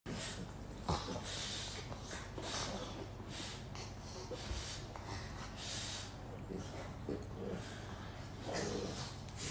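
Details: Two French Bulldogs, Isa and Hugo, from Slovenia, shifting between play-fighting, sleeping and cuddling; breathy, rough snorts and huffs come in irregular bursts over a steady low hum, with a faint voice in the background.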